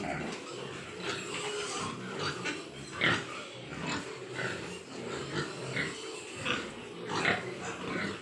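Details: Large White Yorkshire pigs on a farm in Nadia district, West Bengal: repeated grunts, roughly one or two a second, with occasional higher squeals over steady farm hum.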